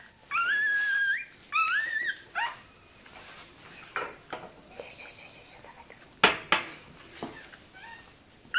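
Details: Tail docking of a toy terrier puppy: two loud, warbling squeals open the recording, followed by a short whine, then sharp clicks and handling noises with faint background sound.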